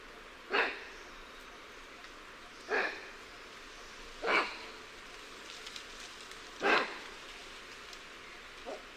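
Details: Lion-tailed and bonnet macaque alarm calls: four abrupt, rasping barks roughly every two seconds, then a faint fifth one at the end, over soft, steady background noise.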